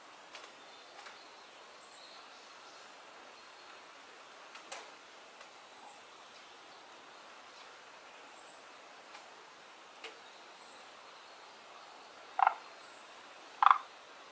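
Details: A frog, one of two kinds that have settled in a garden pond, gives two short, sharp croaking notes about a second apart near the end, over quiet background hiss and faint clicks.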